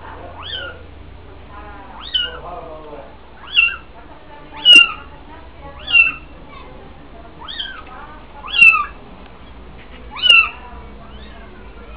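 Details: Young kittens in the old Jewish quarter of Fes, Morocco, left to fend for themselves on weaning day as the mother watches from afar; high thin mews repeated roughly every one to two seconds, some overlapping, several voices.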